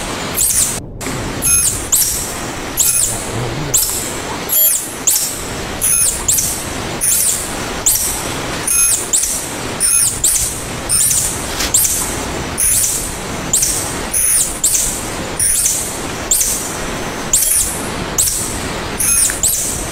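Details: Tarsier, Tarsius sp., nicknamed "little monkeys" or tangkasi, repeating shrill high squeaks steadily about once per second for twenty seconds, each note riding on a burst of hiss, with one brief silent break at the start.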